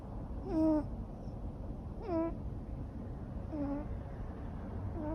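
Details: Sleeping Ragamuffin cat, a neutered male born in 2014, snores in short descending whistled tones with breathy hiss, each breath around one and a half seconds apart, the later ones softer.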